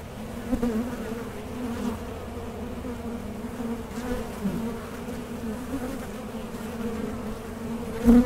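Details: Steady low hum of honey bees around a small-scale hive with a Mason jar honey super, occasional nearer buzzing swells, one loud pass at the end.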